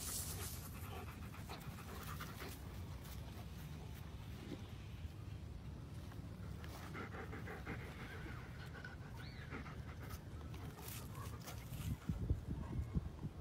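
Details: Rapid rhythmic panting from German Shepherd dogs, breathy puffs repeating without pause against low droning background noise, with a few sharper knocks near the end.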